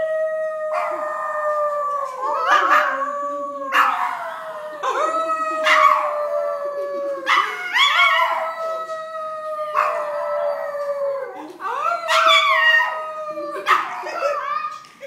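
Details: Pet poodle howling when prompted by its owners: a series of about six drawn-out howls, each holding a steady pitch before swooping into a warbling, yodel-like rise, repeated every two to three seconds.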